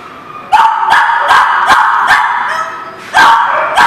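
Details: Dogs barking at a kennel or dog yard called The Barking Lot, recorded 22 February 2019: a steady run of sharp, mid-pitched barks about every half second, overlapping as several voices, with a brief lull before the barking resumes.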